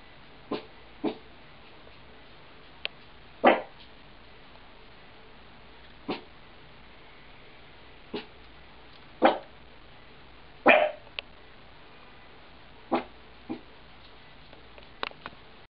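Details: Dog barking at a wall, recorded on 3 March 2009; short sharp single barks spaced irregularly every one to three seconds, a few louder and fuller than the rest, over quiet background.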